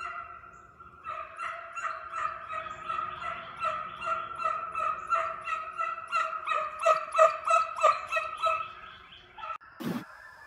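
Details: Hound pups being conditioned as deer dogs chase inside a fenced fox pen, a pack running after coyotes; harmonic baying notes pulse about three times a second in a steady chorus, ending with a sharp knock.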